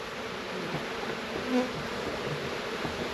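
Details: Honey bees crowded at the hive entrance during a New Zealand summer hive check give a steady, low buzzing hum with one louder droning swell midway, calling stray bees back to the correct hive.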